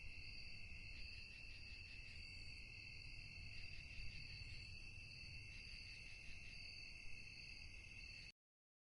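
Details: Crickets chirping at night in a calm, quiet setting: a continuous shrill trilling that holds steady in several high bands throughout, with a soft pulsing texture, over a low background rumble, until the sound stops abruptly near the end.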